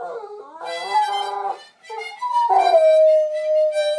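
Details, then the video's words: Airedale Terrier singing along to blues harmonica, howling in long sustained tones that slide down and settle into a steady held note, mixed with bright harmonica chords. "Howl'n Hound the Bluesman"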